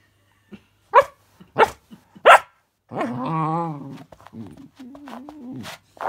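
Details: Puppy reacting to a fidget spinner toy, giving three sharp high barks about half a second apart, then a drawn-out whining growl and people talking softly.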